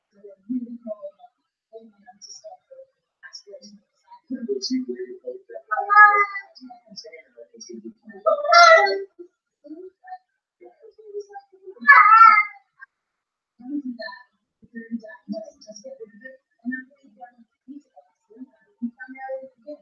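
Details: Blue Point Siamese female cat crying indoors when her owner leaves, captured on a home surveillance camera. Three short, sharp cries scattered across twenty seconds, amid soft scattered low rustles and faint murmuring.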